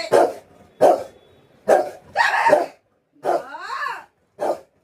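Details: Pet Rottweiler barking because it wants affection from its owner: loud, deep single barks about every second, one drawn-out rough bark, then a rising-and-falling whine before a final short bark.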